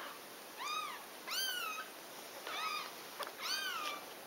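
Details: Mother cat nursing her baby kittens; four bright, bowed mews with rich overtones, each under half a second, repeated at a brisk uneven pace over light background hiss.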